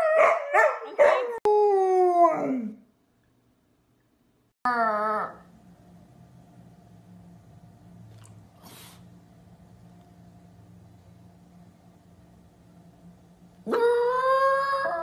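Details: Dog howling: a burst of several short falling wails in the first seconds, a brief rising cry near five seconds, then a long low hum with near-silence, and a strong sustained howl starting at the end.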